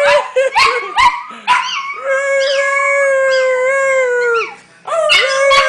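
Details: Household dogs join in a howl. Brief yelps open it, then a long drawn-out note holds for about two and a half seconds and falls away at the end before fresh yips and howling resume.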